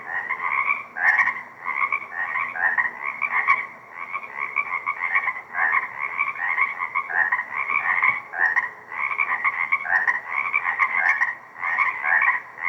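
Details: Spring frog chorus from a remaining lakeside swamp at Deer Lake, 2 April 2024; many frogs calling together in continuous rolling trills, surging and easing in loudness every one to two seconds, a few faint clicks above.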